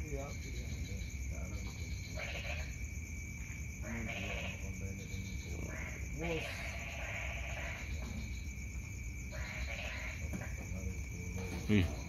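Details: Frogs calling at night: loud, harsh croaks roughly every two seconds over a steady high-pitched whine and a constant low background hum.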